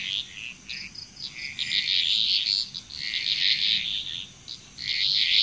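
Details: Frogs calling together in Bali, Indonesia, a dense overlapping chorus of rattling, trilled croaks that swell and fade continuously, with a thin steady high insect whine behind.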